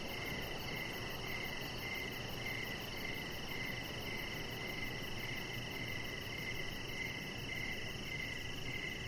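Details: On a deck in the evening, crickets keep up an unbroken high trill, with a rhythmic chirp repeating about every half second over a steady low rumble.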